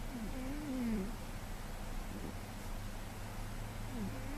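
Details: A single rising-then-falling whistled snore squeak opens this short stretch from GhostCat, a heavily sleeping male cat recorded in May 2013, followed by soft low breathing rumble and a faint second squeak near the end.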